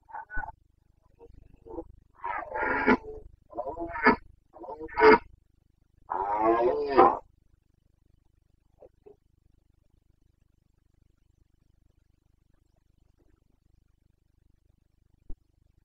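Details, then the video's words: Carpathian red deer stag in the Bucovina mountains during the rut, the breeding season, on 29 September 2022, giving its boncănit roar: several hoarse, harmonic bellows over seven seconds, then near silence. "Boncănit / Carpathian stag Breeding season"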